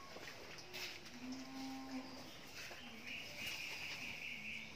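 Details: Pregnant Friesian dairy cow, nine months in calf, six teeth, due to calve for the second time, kept on a dairy farm in Bhangura, Pabna. Gives a short low, steady moo with faint harmonics, while birds chirp higher in the background.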